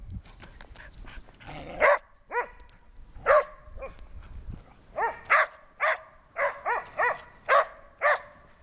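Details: A dog named Snow barking again. Brief low noise opens, then about a dozen clear, high-pitched barks follow at irregular intervals, each a quick ringing yap, speeding up toward the end.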